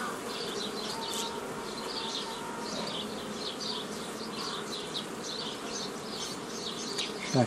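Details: Honey bees from a forager swarm drone without pause while being split into nucleus colonies in the traditional way, 15 May 2018; thin high chirps run through it and a sharp knock ends the recording.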